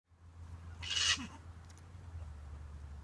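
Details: Captive Grey-headed flying fox investigating the camera up close, sniffing then giving a single sharp, breathy sneeze burst, followed by quiet snuffling over a low steady hum.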